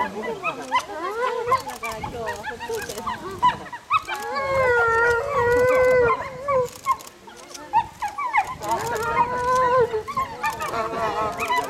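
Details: Zoo timber wolves in Japan in a group howl, with overlapping wavering howls mixed with short yips and whines. Several tones bend up and down at once, swelling and fading in waves.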